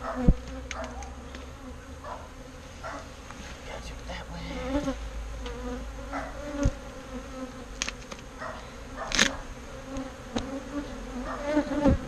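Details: A colony of bees rescued from a birdhouse and transferred to a bee box gives a continuous low hum throughout, with frequent knocks, taps and brief rustling bursts over the drone.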